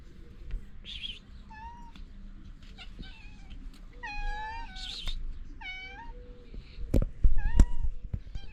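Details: Moroccan street cats begging for food one morning: clear, repeated meows, each a short rising-then-falling wail, spaced about a second apart, with faint thuds and clatter near the end.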